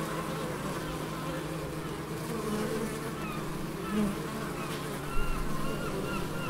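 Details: Bees in the Biblical Gardens at Elgin, Moray, Scotland, giving a continuous low hum of many wings, with faint high chirping bird notes breaking in toward the end.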